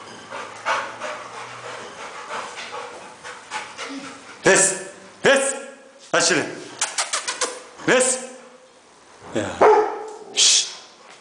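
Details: Rottweiler in Nigeria giving loud, harsh barks in irregular bursts, some single and some in quick runs, while a man repeatedly hushes and shushes nearby.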